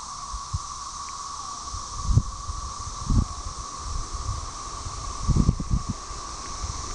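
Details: A steady, droning buzz from a chorus of mostly Magicicada tredecim, Brood XIX, with M. tredecula behind, at Tyler Bend Park on the Buffalo River, northern Arkansas, May 30, 2011; unsynchronized singing, wind and handling thumps.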